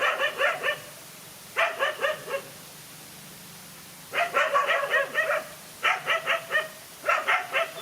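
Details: One dog standing up to two male dogs in a fight: quick volleys of four or five barks each, broken by brief pauses, repeated about five times across the recording.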